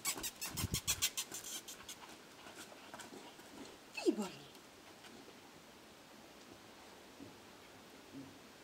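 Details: Male Shih Tzu, Ubbe Jo Brilliant of Moravia, indoors: a burst of rapid clicking patter over the first second, then a single short whine sliding downward near four seconds, followed by near silence with faint small taps.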